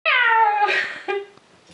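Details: A kitten being played with and made to jump high gives one loud, drawn-out meow that sags slightly in pitch, then a short, lower second note.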